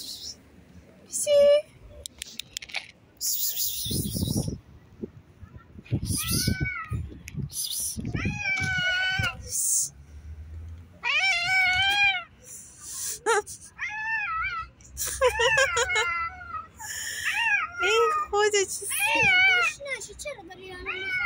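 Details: Cat giving a long series of wavering, rising-and-falling meows, some short and some drawn out, in quick succession, with a person talking and bursts of music in the background.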